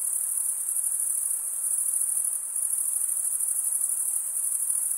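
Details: Massed cricket stridulation heard as a bright, sustained, very high trill with a quick rhythmic flutter, dipping slightly in strength midway before resuming evenly, over a quiet hissy background.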